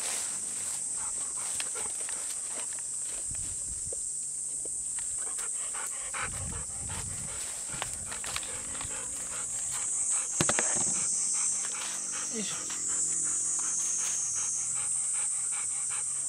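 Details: Golden Retrievers Bisu and Kohaku out on a hot, humid summer morning near farm fields before a mountain walk. Steady fast panting breaths repeat about four times a second, with a loud buzzing cicada chorus and occasional rustling throughout.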